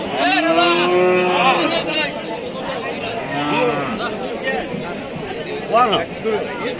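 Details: [1, 'likely', 'moo', 'Cattle at a Qurbani livestock market on a Wednesday in 2025, giving long drawn-out moos that rise and fall, two clear calls in the first seconds and another midway, over steady crowd chatter and nearby voices.']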